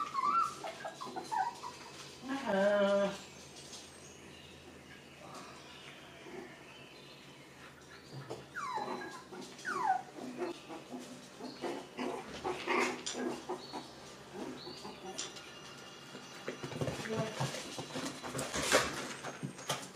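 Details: Six-week-old puppies from Rainy and Fancy's litter playing together in a pen: a loud, shrill harmonic yelp near the start, then scattered soft whimpers, short yips and scuffling play noise.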